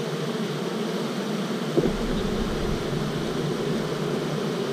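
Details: Honey bees of a starter colony holding queen-cell cups in April, buzzing loudly as a frame is handled; a continuous low droning hum with a short thud partway through.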